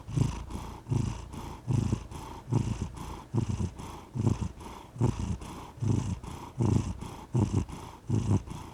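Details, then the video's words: Cat purring close to the microphone, a soft deep buzz pulsing in a regular breath-timed rhythm, slightly louder on alternate bursts, with a quiet background. "The Soothing Sound of a Purring Cat"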